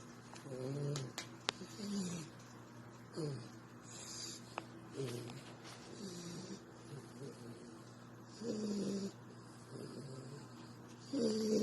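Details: Sleeping female dog snoring while cuddled, soft nasal breaths rising and falling in short tonal whines roughly every second or two, with faint rustling and handling noises close by.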